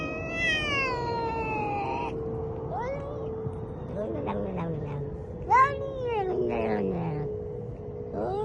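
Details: Domestic cat meowing and wailing in a drawn-out series of calls, some long and falling, others short rising yowls, with a steady hum underneath and one brief louder knock midway.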